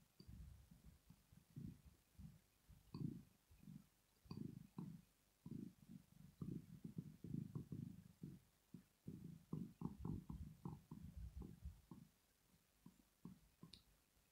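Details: Rosetta the cat purring in her sleep out of pleasure; dense, low vibrating rumbles pulse almost continuously, briefly quieter near the middle, then resume with faint clicking overhead.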